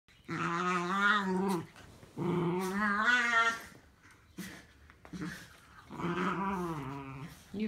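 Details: Dogs growling at each other in a drawn-out, whiny, grumbling voice: three long, wavering vocalisations of over a second each, separated by short pauses, with a person's voice briefly heard.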